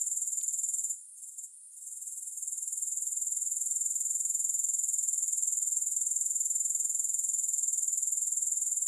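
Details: High, thin insect chirring from grasshoppers, pulsed evenly about four times a second; it drops away briefly after the first second, then swells back to a constant shrill buzz.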